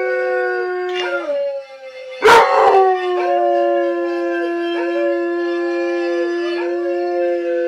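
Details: A Weimaraner howls in long, wavering tones along with a dog howling on TV and steady harmonica notes.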